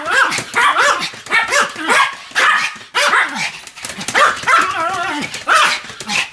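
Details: Sam the Pomeranian vocalizing while spinning rapidly around roughly 175 times, 1 November 2015: rapid run of shrill, sliding whine-barks and yips in quick bursts, excited and almost unbroken across the stretch.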